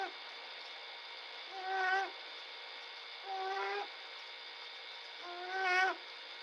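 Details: Small bobcat asleep and snoring, three nasal, droning breaths with a slight upward bend, spaced roughly two seconds apart, against a steady thin electrical hum.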